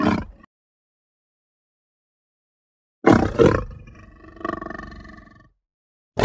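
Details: Lion vocalizing with a harsh, deep roar of about two and a half seconds, opening with two sharp grunting pulses and fading through a rough, growling tail, with brief fragments at the start and end and silence between.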